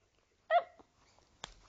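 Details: Samoyed puppy, a female, 'talking' back to her owner's repeated hellos: one brief, tonal, slightly wavering yowl with clear overtones, followed by faint soft noises and a small rustle.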